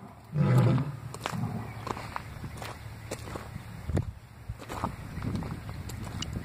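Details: Lions talking in the morning, heard on waking: one deep, rumbling low grunt-roar bursts out early on, then gives way to quieter scattered low rumbles, rustling and footstep-like knocks.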